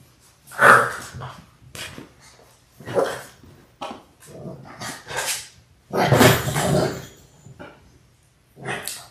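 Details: Six-week-old Labrador Retriever puppies, a litter of six born January 18, 2022, on a live puppy cam on February 28. Short separate barks and growly bursts with quiet gaps, with one louder noisy burst near the end.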